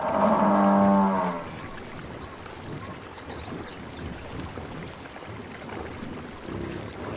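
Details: Wild buffalo in its natural savannah habitat giving one deep, drawn-out harmonic bellow lasting just over a second, followed by quiet background hiss and faint distant sounds.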